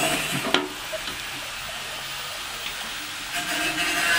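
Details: Hissing, water-like broadband noise with a few scattered clicks, and no animal call present.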